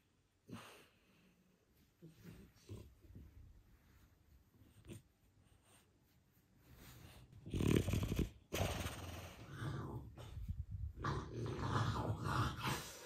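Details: A French Bulldog, in the first minutes after waking up, snorts, wheezes and grunts in low, irregular bursts of noisy breathing.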